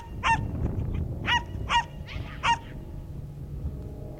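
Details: Young Schipperke on a herding training course in September 2010: four or five piercing, short barks spaced unevenly about half a second apart, with low rumbling noise underneath.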